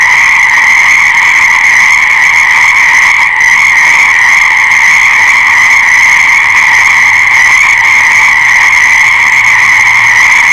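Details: Frogs calling in a dense, unbroken chorus: a steady, buzzing trill held throughout with no pauses, sounding like many callers overlapping at once, with no other clear sounds.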